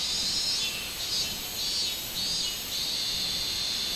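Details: Minmin cicada on 24 July 2016 giving a pulsing, high-pitched buzz that swells and fades roughly every 0.7 seconds, then settles into a steadier drone.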